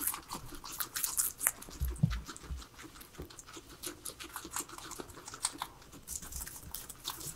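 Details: Indoor pet guinea pigs, three of them, eating a salad of vegetables: steady fine crisp nibbling clicks, with a few soft low thumps near the middle.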